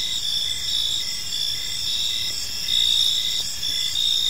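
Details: Evening park chorus of crickets: constant shrill high trilling with rhythmic short chirps pulsing roughly twice each second, soft background hum beneath.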